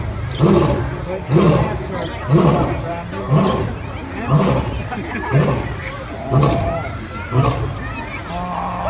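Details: A lion roars in a series of deep, grunting roars, about one per second and eight in a row. Each starts with a loud onset and trails off, with some background murmur between them.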